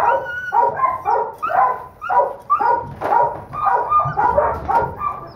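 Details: Smallest female pup of a Doberman Pinscher litter, kept back as a holdback, a hard biter who won't let go; steady series of hoarse, tonal yapping barks, about two each second, each short and slightly falling.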